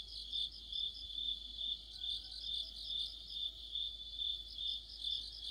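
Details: Crickets with other insects in an autumn chorus near a streetlight, steady high chirping trill beating in regular waves, several overlapping singers, faint thin tones drifting through the middle.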